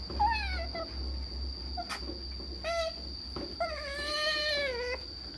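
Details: Pet otter excited over a salmon treat while eating, making strange noises: several high, squeaky whining calls with stacked harmonics, some falling and one long wavering squeal near the end, a steady high electronic tone and low hum behind.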